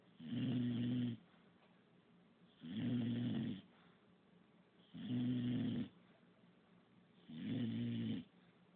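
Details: English bulldog named Pup, said to snore constantly, snoring indoors: four long rumbling snores about two and a half seconds apart, each roughly a second long with a steady low buzzing tone, quiet breathing between.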